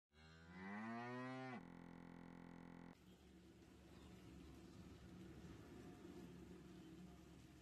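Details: Punganur cow lowing; one brief rising moo lasting about a second and a half, followed by a steady flat tone and then continuous background noise.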